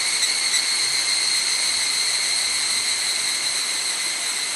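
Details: Evening cicada chorus, Mount Hokyo, Tsukuba, Japan, 6 pm on a cloudy 31 July 2011, camera built-in mic; loud, even, high-pitched ringing with a rapid flutter throughout.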